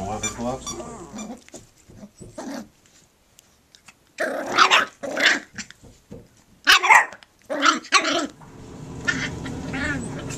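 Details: Puppies at play, giving short harsh growling and barking bursts in clusters near the middle and again toward the end, separated by near-silent gaps, with a low hum and some rustling at the start.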